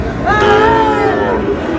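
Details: Sahiwal bull calves at the start of trading at Ambari cattle market, Dinajpur, Bangladesh, on 12 June: a drawn-out, tonal moo lasting about a second, steady then sagging at the end, over busy crowd chatter.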